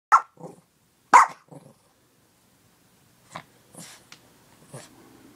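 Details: Pet dog barking for a treat: two sharp, loud barks about a second apart, each followed by softer short yaps, then several fainter barks and rustling later on.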